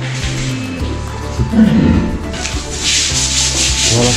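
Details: A walrus at the Ise aquarium, lying sleepy and not getting up one morning, breaks wind with a low, rasping, sputtering rumble; staff say it did not smell and rarely hear a walrus do this.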